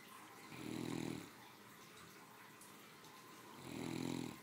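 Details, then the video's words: Three-year-old female Great Dane snoring comfortably while asleep after her midday meal; two low, rumbling snores, each about three-quarters of a second long, come roughly three seconds apart, with quiet breathing between. "My 3 yr old snoring after a hardy lunch"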